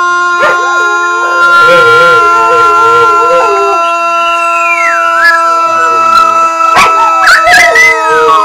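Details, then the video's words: Pet dogs singing along during their routine morning stretch at home. Wavering, sliding howls rise and fall over sustained steady tones, broken by a few sharp clicks and knocks. "Singing Dogs"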